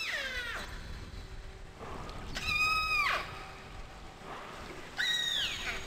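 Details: Killer whales (Orcinus orca) in Avacha Gulf, Kamchatka, Russian Far East, recorded underwater by hydrophone, give harmonic, squealing pulsed calls sweeping down or bending in pitch; each pod has its own vocal dialect, similar among related pods.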